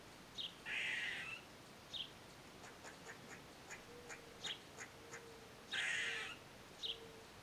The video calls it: Gray squirrel sounds